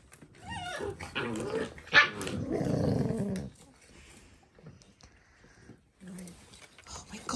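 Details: Dalmatian puppies: a short rising, whiny yelp opens, followed by a rough, low growling grumble lasting about a second and a half, then quieter scuffling with brief bursts of noise near the end.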